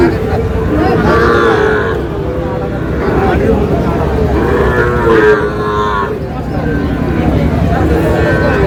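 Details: Sahiwal bull calves, four to five months old, at a busy cattle market in Ghoraghat, Dinajpur, Bangladesh, 25 June 2026; low drawn-out moos rise above a constant babble of men talking and traffic.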